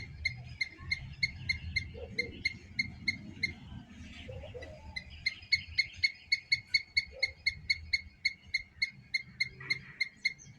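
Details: Squirrel chirping loudly: a steady series of short, sharp, high chirps repeated roughly every third of a second through most of the recording, over low rumbling background noise with a brief softer patch near the middle.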